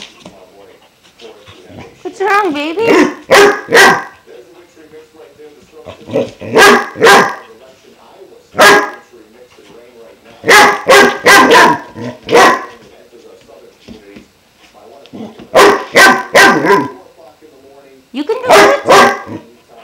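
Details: Klaus, a 5-month-old German Shepherd puppy meeting a new water buffalo horn, gives bursts of two to four loud, harsh barks every few seconds, with quieter whines and grumbles between the bursts.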